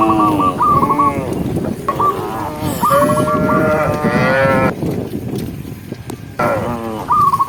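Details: Afternoon herding of tame cows amid mountain scenery: long, wavering moos follow one another, some sliding downward. Bright, quick chirps from a bird repeat through the gaps, ending with one more burst.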